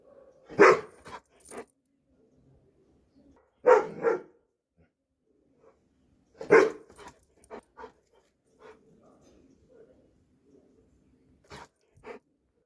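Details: Three widely spaced, loud barks from a Dobermann, each followed by brief clicks and softer sounds, with long quiet gaps and faint scattered noises between.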